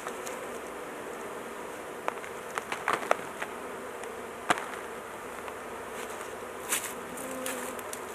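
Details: Honey bees swarming over a large hive during beekeeping work, the queen held in a cage so she is not crushed; a dense, steady buzzing hum with scattered sharp clicks and taps from handling the hive.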